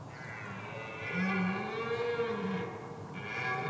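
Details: Red deer stag roaring to intimidate rivals during the rut in woodland, trailing about ten hinds while two or three other stags follow. Deep, drawn-out harmonic bellow that swells midway, with soft background music.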